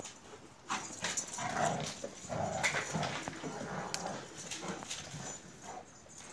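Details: Akbaş shepherd dogs from Turkey, two of them playing together: short whimpering yips and scuffling bursts scattered through the clip over a noisy background.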